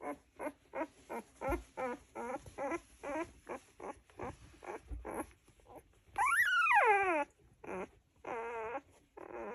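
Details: Golden Retriever puppies sleeping, wriggling, twitching and snuggling, giving a fast run of short high whimpering squeaks, about three per second, then a longer rising-and-falling whine and a few wavering squeals.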